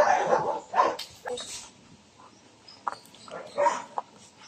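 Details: Belgian Malinois puppy during a heeling exercise with food luring and teaching of the out command; a few loud, rough barks come in the first two seconds, then scattered quieter bursts, with some human talk mixed in.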